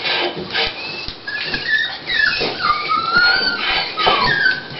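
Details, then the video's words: Dolly, a female Toy Pinscher, at the start of preparing to give birth to puppies, whimpers in high, thin whines that rise and fall, several drawn-out tones over a few seconds with faint rustling underneath. "Début de mise bas de notre Pinscher Toy Dolly"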